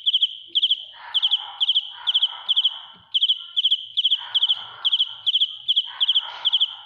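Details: Loud close-range cricket song, bright trilled chirps of several rapid pulses each, steadily repeated, with intermittent lower rustling or murmuring noises mixed in between chirps.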